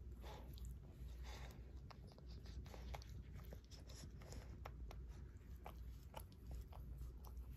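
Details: Barry, a Shorkie dog adopted by his family two years ago, licks his paw indoors; soft wet smacks and clicks repeat irregularly, roughly twice a second, over a low steady room rumble.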